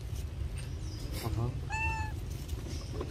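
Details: Baby monkey named Rainbow, hungry and crying for milk: a single clear, tonal whine with bright overtones, held steady for under half a second, with a fainter squeak before it over low background rumble and nearby talking.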